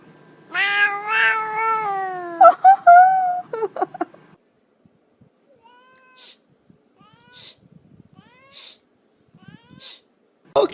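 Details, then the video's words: A pet cat gives a long drawn-out wavering meow, then several short broken, yelping cries, followed by quieter, brief chirping calls spaced apart, with faint clicks in a quiet room. "Cats Making Weird Sounds"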